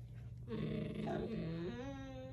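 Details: Mouthy Siberian Husky indoors arguing with its owner about being on the bed; a drawn-out, wavering talking howl-grumble that bends up and down in pitch, with a steady low hum in the room.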